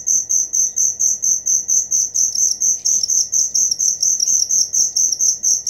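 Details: Cricket giving bright shrill chirps in a steady pulsing rhythm, each chirp a short ringing burst, with faint distant bird calls.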